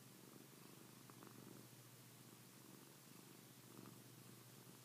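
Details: Steady, soft purring from Pilar the house cat, a low vibrating drone with faint rhythmic swells as she breathes in and out.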